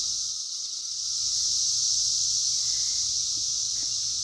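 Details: A steady high-pitched drone from 2021's emerging cicadas runs without pause, rising a little after the first second, with a few faint ticks in the background.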